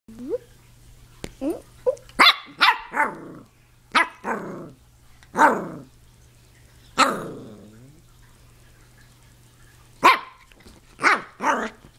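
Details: A 10-week-old Pomeranian puppy on a couch, trying to bite a hand held near her: about a dozen short, high yips and small barks, each dropping in pitch, spaced irregularly over twelve seconds, with a faint steady electrical hum.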